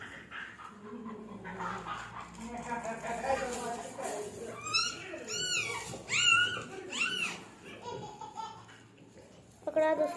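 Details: Newborn French Mastiff puppies during delivery give a few short, arching high squeals in quick succession midway, then a sharp cry near the end, over steady Hindi speech from people helping.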